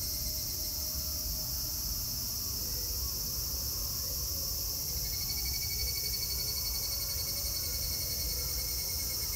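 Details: Meiji Shrine cicadas in Japan, 25 August 2018, droning in a constant high-pitched sizzling wash, a thin whining tone joining midway, over steady low background rumble.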